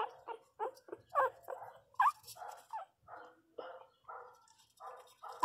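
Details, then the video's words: Small pinscher puppy crying loudly indoors, a string of short nasal whines and yelps at about one per second, uneven in spacing, with a woman talking softly nearby. "Cachorrinho pinscher chorando alto"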